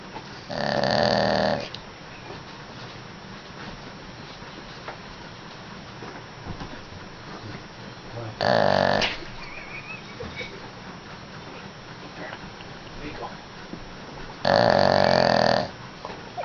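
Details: A dog asleep, snoring in three loud, harsh, buzzing pulls roughly six to seven seconds apart, each about a second long, separated by near silence with low background hum.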